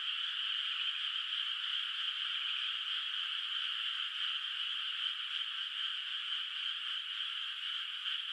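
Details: Frogs heard from afar across a moonlit rice paddy at night before planting; a thick, constant chorus of rapid high trills, individual voices faintly pulsing within the steady sound.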